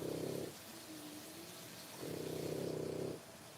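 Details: French Bulldog puppies three weeks old, born 1/10/25, make a soft grating rumble. A short burst is followed by a quiet gap with a faint thin tone, then a second burst about a second long. Low room hiss continues throughout.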